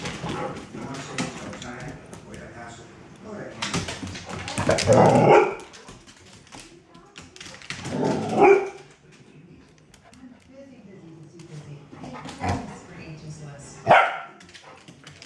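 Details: Playful Golden Retriever rescue foster romping with Cali in a game of catch me if you can; loud throaty barks or play-growls burst out near five, eight and fourteen seconds over scuffling, panting and background Spanish speech.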